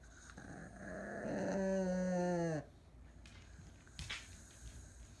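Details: A sleeping senior Pug, eyes open and in need of care, builds from rough breathing into a drawn-out, humming snore that falls slightly in pitch before cutting off, then soft room quiet.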